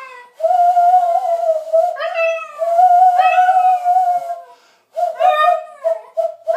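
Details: Pet dog Milly singing along with a person indoors: long, smooth, steady howls with bright overtones that swell at several points, a short silent pause, then quicker broken howling notes.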